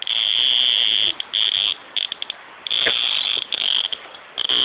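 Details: Shrill, harsh buzzing from a cicada, broken into several long bursts and short choppy pulses with brief pauses between them.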